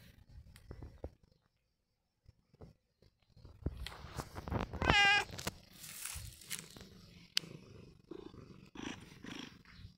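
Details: A brief, sharp meow from Long John Whiskers, a domestic cat, cuts through steady rustling and clattering handling noise.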